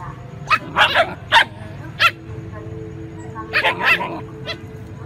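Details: Little puppies squabbling with larger dogs for food: clustered yelping barks, four quick ones early, a pause, then another tight burst of three or four, with a constant low background hum.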